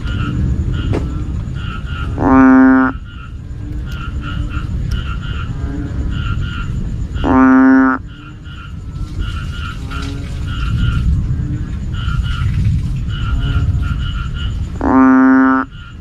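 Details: Banded bullfrog calling at night, loud enough to disturb sleep: three deep, resonant, moaning notes, each about half a second long and spaced roughly five seconds apart, over a chorus of higher chirping frogs and a low rumble.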